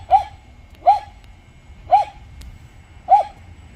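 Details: Jindo at a glove factory, barking as the dogs are urged to make up after a fight: four clipped, mid-pitched barks spaced roughly a second apart over a quiet low hum.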